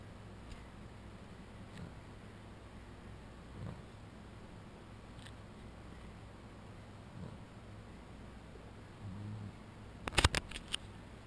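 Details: A sleeping Boston Terrier on his cooling bed snores softly, with low rumbling breaths repeating every couple of seconds.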